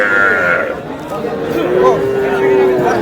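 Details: Cattle at a livestock market in Faridpur, Bangladesh, where a farmer buys very small bulls and heifer calves on 15 May: a long, steady, low mooing note that slowly falls in pitch, over constant crowd chatter and bargaining voices.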